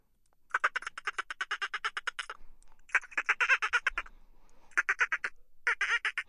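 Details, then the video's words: Dolphin chatter likened to laughter, made of long trains of quick, buzzy pulses that run for nearly two seconds at a time. The trains break off, then resume in shorter bursts, with a faint low rumble in one gap. "Dolphin sounds for stress relief"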